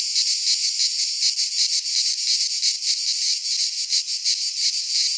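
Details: Cicadas in full midsummer song among Greek pines. The shrill, buzzing wall of sound pulses about three times a second and never pauses.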